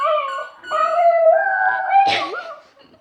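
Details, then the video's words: .Border Terrier "singing" indoors while playing with a squeaker toy: a sustained tonal howl with wavering pitch, a dip near half a second, then a long steady note ending in a brief noisy squeak and a falling whine. "Dog singing - Border Terrier"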